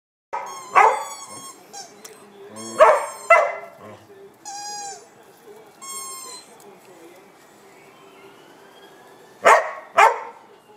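A Border Collie gives bursts of bright, harmonic yelps and whines, some in quick pairs. Between them, a squeaky toy sounds in sharp, high-pitched stacked squeaks.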